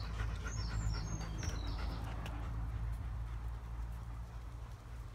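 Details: German Shepherd panting in quick, rhythmic breaths, roughly four per second, soft and breathy under a steady low rumble, with a few brief high chirps early on.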